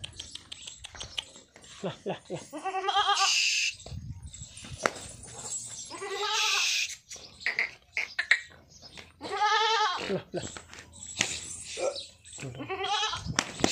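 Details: Pure Jamunapari goat giving three long, quavering bleats with a wobbling, nasal tone, each lasting about a second and spaced a few seconds apart. A person coaxes in Chinese between the calls, with clicks and handling noises.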